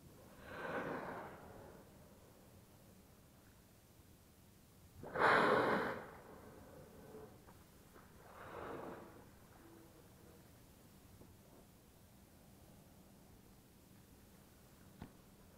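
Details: Whales surfacing beside kayaks in Bahía de las Conchas near Bahía Magdalena, Baja California Sur, on a perfectly calm sea; three broad whooshing blows, the loudest midway, softer ones before and after, over quiet water.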